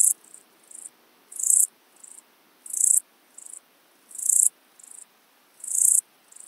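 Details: Euchorthippus pulvinatus, the Siberian straw grasshopper, at Fülöphaza, Hungary, in July 2022: loud high rasping chirps about every 1.4 seconds alternating with softer short chirps, a regular back-and-forth pattern.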